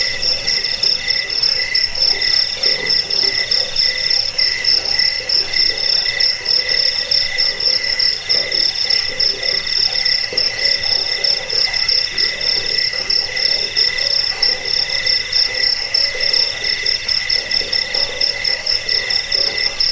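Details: Several crickets trill at once in a recording for repelling rats and tutoring birds. A piercing, finely pulsed high note is constant, while a softer, lower chirp repeats in steady waves beneath it.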